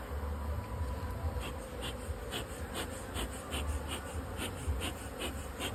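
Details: Honey bees around a modern two-storey hive box used for honey production, a continuous low drone with faint short ticks and clicks recurring through it.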